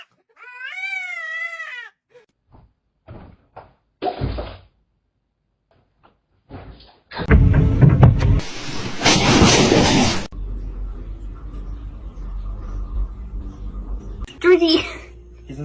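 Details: A cat gives one long, wavering meow with rich harmonics lasting under two seconds. Scattered knocks and a loud burst of noise follow, then a low hum and faint music.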